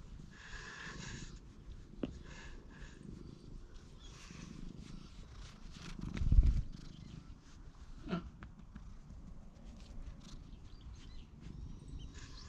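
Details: Stray cat trailing a person while watching its surroundings, filmed outdoors on a GoPro HERO8: a low, steady rumbling purr runs throughout, with a louder thump midway and soft rustling.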